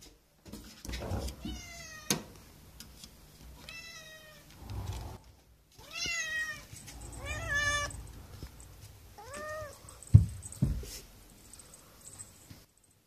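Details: Calico Japanese kitten greeting its owner each morning with meows and rubbing when its cage is opened; about five clear, high harmonic meows, several rising then dipping, separated by short pauses, followed by a couple of soft thumps near the end.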